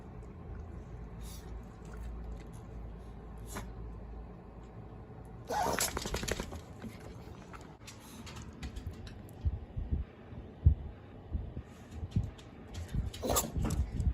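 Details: Yorkshire Terrier sneezing repeatedly right after finishing a drink of water; two sharp, noisy bursts, one about six seconds in and another near the end, over low indoor rumble and faint clatter.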